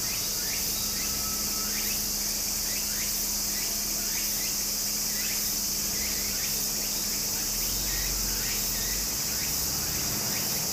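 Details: Summer cicada chorus by a flowing stream in Japan, an unbroken high metallic whine filling the air, with many quick rising chirps scattered through and a low steady drone below.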